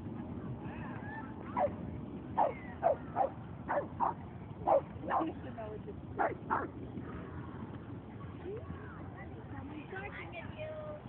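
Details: Boston Terrier barking in a dog run on 22 May 2011, about a dozen quick, clipped barks in an irregular burst over several seconds, then fading under steady background voices.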